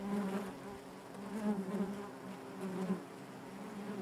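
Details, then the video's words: Inside a honey bee hive, many bees produce an unbroken low droning hum with stacked overtones, rising and falling slightly in loudness every second or so. "bees therapy hive natural buzzing sound"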